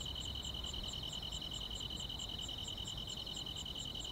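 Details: Insects in the grass at night in summer, giving a fast, even pulsing chirp, roughly three to four beats per second, layered on a constant ringing high whine.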